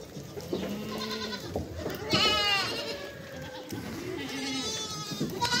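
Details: Mother goat and her young kids calling: a few short, wavering, harmonic bleats rise out of low, muffled background noise, with louder, shakier cries near the middle and at the end.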